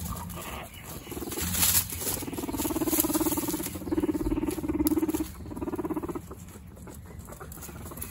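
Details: Guinea pig brothers, two pet males, fighting for dominance: low buzzy pulsed rumbling in several long bouts, loudest around the middle, with a few sharp higher clicks and faint rustling between bouts.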